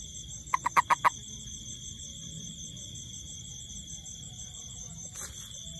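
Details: A yellow-skinned toad gives a brief burst of five quick, croaking pulses over a steady high insect whine.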